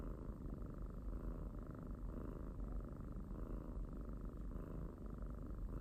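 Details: Domestic pet cat giving a steady, rumbling purr close to the microphone, low and continuous with soft regular pulses in loudness.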